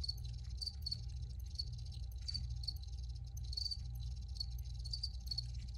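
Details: Several crickets chirp in high, crisp pulses, some in quick doublets, recurring about every half second above a steady low droning background.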